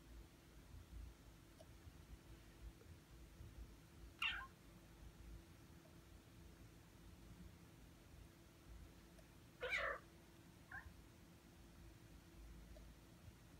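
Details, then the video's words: Six-month-old indoor Ragdoll kitten that has lately started blocking the screen whenever its owner types at the keyboard: two short, faint meows about five seconds apart, with a quiet room hum beneath. "[Ragdoll cat] 강아지인 줄.. 犬かいニャ~(랙돌 생후 6개월)"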